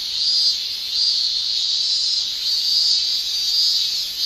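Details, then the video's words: In Japan's summer, male cicadas sing via tymbals; a loud high-pitched shrill drone wavers in soft surges about once a second, continuous and unaccompanied by other sounds. "Japan Summer Cicada Shrilling"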